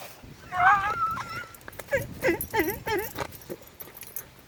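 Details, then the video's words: A fox making odd noises while trying to catch a chipmunk: a thin, wavering whistled whine, then a quick series of short, rising-and-falling yelping chirps, with faint background rustle. "Fox's funny noises trying to get a chipmunk."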